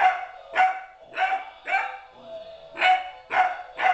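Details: Young dog Apollo, 13 weeks old, yaps repeatedly during his first encounter with another dog; bright, piercing barks roughly twice a second, broken by a brief softer whine-like gap midway.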